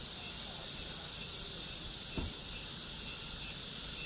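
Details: Summer cicada chorus: a continuous high shrill buzz without pauses, a single soft thump midway, otherwise steady and even.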